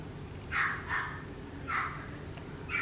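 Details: Papillon puppy named Ceylon giving four short, high, tonal yips spread over about three seconds, two close together, then one more and a final brief yip, over a steady low hum.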